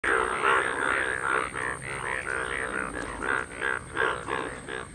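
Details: Indian bullfrogs in a natural setting during mating season at the first monsoon rains of June 2022, recorded on an iPhone: overlapping nasal, bleating croaks pulse about three times per second in a dense, continuous chorus.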